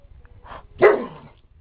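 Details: Single short bark from Jack, a pet Border Collie at play with a toy, preceded by a softer huff; one sharp burst fading quickly.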